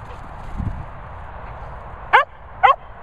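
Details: Cocker Spaniels Finlay, Murphy and Willow at a dog training and boarding kennels in the Worcestershire countryside; two sharp barks near the end, half a second apart, after a low thud and faint background hum.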